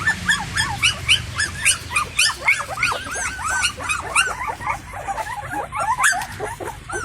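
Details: Puppies of an unleashed stray Indian Pariah mother, one crying for her attention at feeding; rapid pulsing whines about three to four per second, some high squeaks above.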